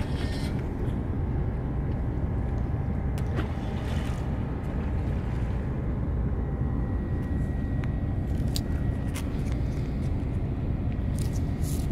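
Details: Steady low rumble of passing road traffic fills the recording, with a few faint clicks and brief tones and no animal voice.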